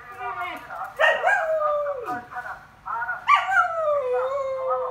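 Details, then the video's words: Samoyed dog howling indoors, seemingly irritated; wavering tonal howls with rich harmonics, a short one, then two longer rising-then-sliding wails, with a person speaking nearby. "콜라보 하울링, 근데 승질난거 같다"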